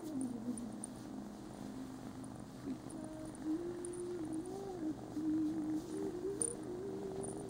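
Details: A Scottish Fold cat, wanting a little attention before a cat nap, purrs steadily, with a soft, wavering, murmured tone running over the rumble.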